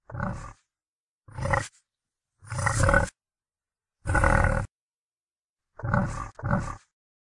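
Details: Red deer rutting in October 2016 in the Sierra del Relumbrar, Albacete, Spain; six deep, rough roars of about half a second to a second each, the last two in a quick pair, separated by silent gaps.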